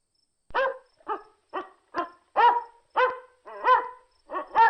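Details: Domestic dog barking: eight short, sharp barks in quick succession, roughly two per second, with no other sounds.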